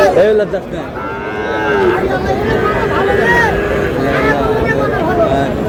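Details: Sahiwal bull calves at a cattle market in Noakhali, Bangladesh, on 18 June: several short harmonic moos rise and fall through a steady crowd murmur of bargaining voices.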